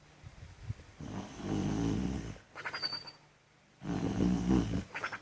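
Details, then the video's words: A female pet dog snoring in her sleep indoors: two long, rough, low breathy snores, each lasting over a second, separated by a quiet pause, with a faint high squeak riding on the second. "Dog barking in her sleep and snoring funny"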